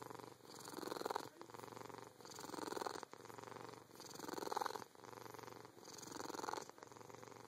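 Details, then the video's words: Domestic cat, very happy, purring hard with a higher trilling edge: steady rumbling purr in long breath cycles of roughly two seconds, each swelling louder with a faint trilled tone near the peak, quiet room. "Trill Purring"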